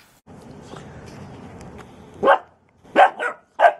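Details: Steady rumbling background noise for two seconds, then a dog lets out a quick run of four loud, sharp barks, the last three bunched within about half a second of each other.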